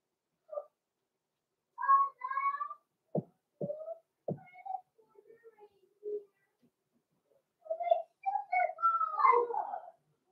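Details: Blenheim Cavalier King Charles Spaniel puppies, six weeks old, named Roman and Blue, from a small litter born November 14, 2022, in a home puppy pen; drawn-out tonal whining and squealing cries, a few sharp clicks midway.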